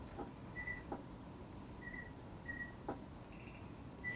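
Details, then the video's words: A male false leaf bush cricket sings its calling song to attract females in the dark: brief, pure, whistle-like chirps spaced irregularly over a steady room hum. "This is the call of a false leaf bush cricket. You can see it there. It's the green one."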